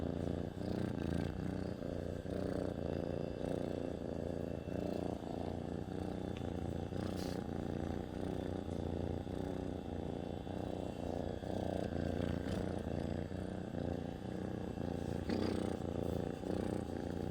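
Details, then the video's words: Pet cat purring up close: an even, deep rumbling drone cycling with each inhale and exhale, with occasional faint light ticks in the background. "Cat Purring"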